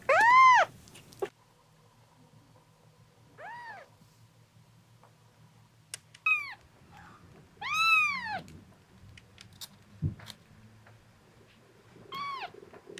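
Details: Male red tabby and white domestic cat, born March 2023, inside a veterinary exam room where it had an epileptic seizure; loud arching meows recur at intervals, one rising then falling, with quiet speech and room noise between.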